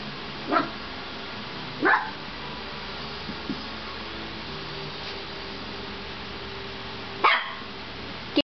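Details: Pet dog, angry after having its ears taped, attacking bath towels indoors: three short sharp barks, two close together early on and one after a long pause, over a steady background hiss.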